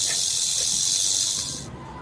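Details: Rattlesnake rattle: a loud continuous high hissing buzz held steadily, then cutting off abruptly near the end, leaving quiet background.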